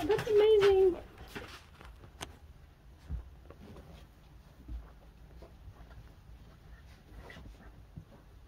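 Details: A single newborn puppy, up to three weeks old, gives a short, steady, nasal whine lasting about a second. Quiet shuffling and faint background noise follow.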